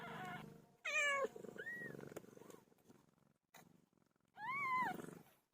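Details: Domestic cat PILO, who has just given birth: a low purring rumble underlies two clear drawn-out meows that rise and then fall, with a fainter short mew between them and brief gaps of quiet.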